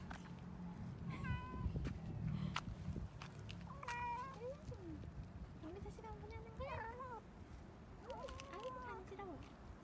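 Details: A stray yard cat meows repeatedly outdoors as a woman keeps talking to it and asking whether it dislikes something; drawn-out, bending meows come every couple of seconds, with low rumbling background noise.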